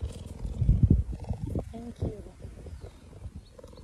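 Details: A cheetah showing affection in a hug gives low, rumbling, pulsing affection calls with a few brief tonal notes.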